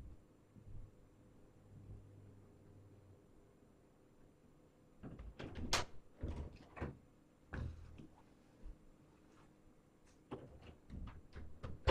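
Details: Quiet indoor room broken by several sharp knocks and clattering bumps, like a door or cupboard being handled, with no animal voice heard.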